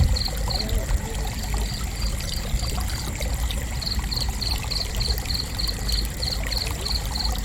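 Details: Sharp, high cricket chirps repeat at a quick even rhythm, with a brief break early on, over a continuous rushing stream.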